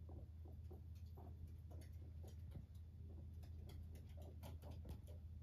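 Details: Pet guinea pig named Max purring indoors as it comes up to its owner: a low, deep rumble of rapid pulses, roughly three per second, running steadily throughout with faint clicks above.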